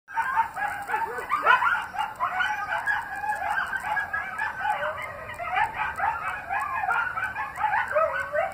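Several coyotes howl together in a wavering chorus of overlapping yips and quavering, rising-and-falling wails.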